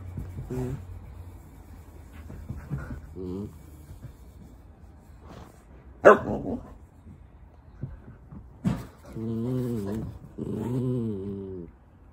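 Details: Dogs on an indoor play date, a mini dachshund and a husky, the husky eager to play with the small dachshund; scattered low whines and short growly vocal bursts, a sharp yelp-like burst midway, then drawn-out wavering moans near the end.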